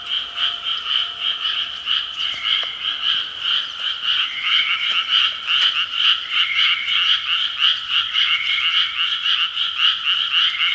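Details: Frog chorus at six in the evening, many animals calling together in a continuous, rhythmic wall of quick grating croaks that pulse unevenly, with faint thin tones briefly heard in the background.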